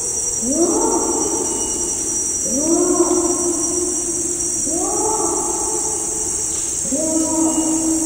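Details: Adult male Bornean orangutan long call from afar in rainforest: loud, echoing bellows, each swooping upward then holding, repeated about every two seconds against constant high-pitched insect buzzing.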